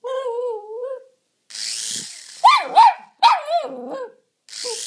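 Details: Pet Jack Russell Terrier getting worked up at a toy helicopter: a high whine, then sharp yappy barks in quick pairs, with a whirring hiss of the toy's rotor between them.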